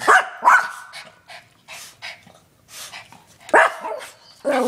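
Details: Yorkshire terriers facing a raccoon and each other give sharp, high-pitched yapping barks in short, irregular bursts.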